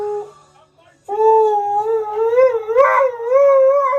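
A husky sings in a long, wavering howl that slowly rises and dips in pitch.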